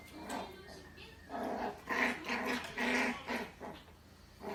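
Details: Bichon Frise puppy in its first year, indoors, fighting a vacuum cleaner: bursts of rough growling mixed with short yappy barks, several in quick succession with brief gaps, a person's voice faintly heard.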